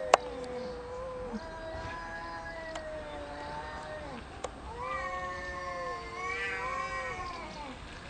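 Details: Cats in a territorial dispute, loud arguing with no biting: sustained low moaning yowls with slow pitch bends, a few sharp clicks between, then rising, wavering howls toward the end.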